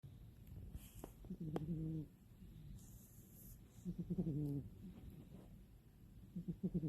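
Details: Mini, a pet cat, snoring loudly while asleep: low, rough, buzzy snore breaths about every two to three seconds, each with a nasal rising-falling tone, with brief rustling and a soft hiss in between.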